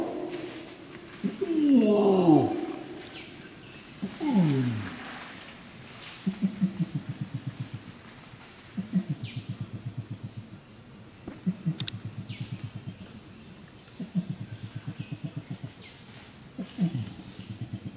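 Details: Flanged adult male Bornean orangutan (Pongo pygmaeus) at Tuanan Research Station, Central Kalimantan, Indonesia, gives a long call: booming, falling roars, then a run of deep, pulsing grumbles.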